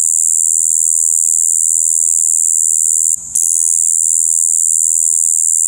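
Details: A Shibuiro kayakiri katydid buzzes monotonously in spring, 2 April 2023, a dull, slightly rough "bii" held at one pitch, cut by a short gap of quiet just past halfway, then carrying on unchanged.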